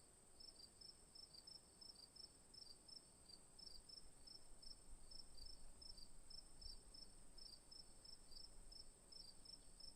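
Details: Afternoon crickets keep up rapid, regular high-pitched chirps, several callers overlapping above a continuous shrill buzz, with low outdoor rumble underneath.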